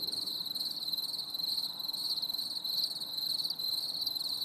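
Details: Crickets singing on a stormy summer evening: a steady, shrill high trill held throughout, with faint overtones above and a soft low background hum.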